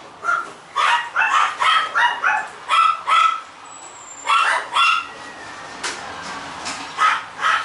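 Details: White female Toy Poodle barking in quick bursts, sharp yapping barks, several at a time with short pauses, about two per second at their fastest, fairly irregular, with a quiet room background.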